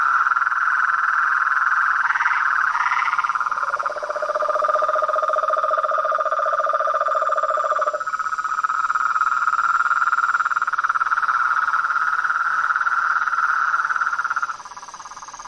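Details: Frogs, toads and treefrogs calling outdoors. A steady pulsed mid-pitched trill chorus is joined by a deeper, rapid rattling trill for about four seconds. Near the end the volume drops suddenly.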